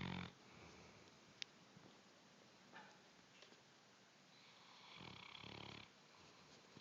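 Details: A bloodhound snoring indoors in soft, breathy, rasping snores: one short burst at the start, a long drawn-out snore near the end, and faint clicks and ticks in between. Quiet overall.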